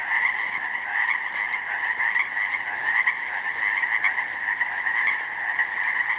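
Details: Loud springtime chorus of Pacific chorus frogs from a flooded slough meadow, multitudes of newly grown frogs; steady dense croaking with nearer individual ribbits standing out briefly against the constant background swell.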